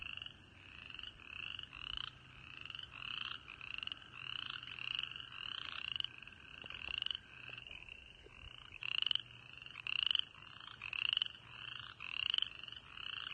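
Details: A spring chorus of frogs in early March at a birding park in East Tennessee, giving high, short, slightly rising peeps over and over.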